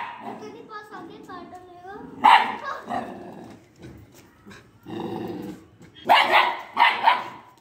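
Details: A young Italian Greyhound puppy, two months old, barks at a strange boy; voices talk throughout, with a lone sharp bark midway and a growl, then a closing pair of shrill barks.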